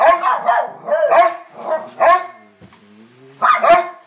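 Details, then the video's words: Pair of pet dogs named Bronner and Bella barking hard: a rapid run of four gruff barks, a short quiet gap with faint whining, then another double bark. "Dogs barking"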